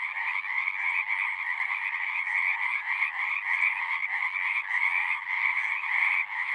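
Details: A loud, thick wall of frog song, trilled calls overlapping continuously in two strong pitch bands, with gentle irregular swells and no other noticeable sounds.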